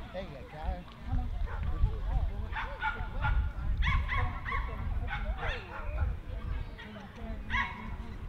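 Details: Jack Russell Terrier barking at the Jack Russell Terrier Club of NSW Speciality Show, Dogs NSW Showgrounds, Orchard Hills, 15 October 2015; sharp, clipped barks come in bursts from mid-clip onward over steady crowd chatter and low rumble.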